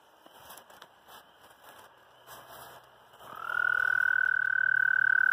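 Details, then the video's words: American toad (Anaxyrus americanus) mating call: a few faint rustles, then a loud, steady, high musical trill begins about three seconds in and holds unbroken to the end. "American Toad mating calls (Anaxyrus americanus)"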